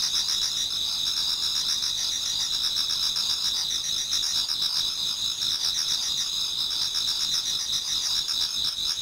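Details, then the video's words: Chorus of many insects in a Japanese garden on an autumn night turning to dawn; shrill continuous high trills fill the background while a lower pulsed chirp beats roughly four times each second. "Autumn Insects voice Towards dawn"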